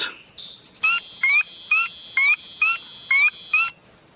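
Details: Spring peeper call played back during a frog lesson from Highlands Biological Station, Highlands, North Carolina: seven clear, high, upslurred peeps, roughly two per second, over a steady faint electronic tone.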